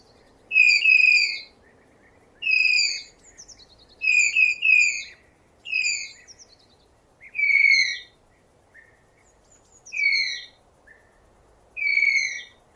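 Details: Tapir giving shrill, slightly descending whistled squeals, each about half a second long with a bright ringing overtone. They repeat roughly every one and a half to two seconds, sometimes as quick doubles, over a faint steady background hiss.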